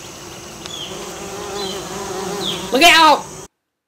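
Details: Buzzing of a Western bumblebee working American Basswood flowers for pollen: a soft, even low drone with faint bird chirps, briefly overlapped near the end by a loud human voice before the sound cuts off.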